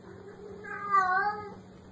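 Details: A single drawn-out kitten meow that bends upward and then falls away, heard over a steady low electrical hum.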